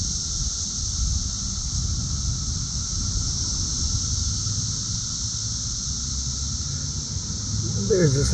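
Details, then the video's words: Cicadas in summer in the south suburbs of Chicago, Illinois, June 3, 2024, very loud and active, buzzing and flying around: a steady, unbroken high-pitched drone throughout, over a low rumble, with a brief voice near the end. "Cicada Mania! Very Loud and Active!"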